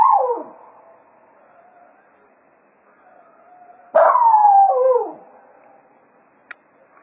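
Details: At the close of a foxhunting day at Quail Roost, Cato the Jack Russell Terrier howls to the departing hounds. A falling howl fades out, then a quiet pause with low steady tones, then another strong yodel-like howl that descends and trails off.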